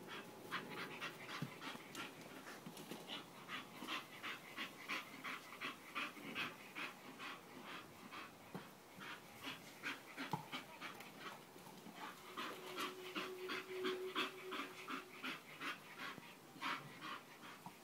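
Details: Bull Terrier breathing in fast, regular pants, soft breathy bursts close together across the whole stretch; a faint steady hum appears briefly near the end.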